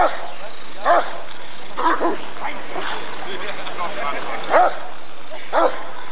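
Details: Deep single barks from a Rottweiler at the 1994 ADRK breed survey, four strong ones over six seconds, spaced unevenly, with human voices talking underneath throughout.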